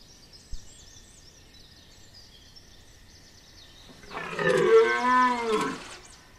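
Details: Rutting red deer stag at Chambord in September 2021 gives one loud, rough, roaring bell lasting about two seconds. Quiet stretch before it holds scattered high bird chirps and a single sharp knock.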